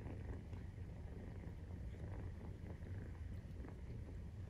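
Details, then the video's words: 43-day-old Maine Coon kitten purring while nursing, heard as a soft continuous low rumble with slight pulsing and no other distinct sounds. "授乳時のゴロゴロ 生後43日目【メインクーン動画】"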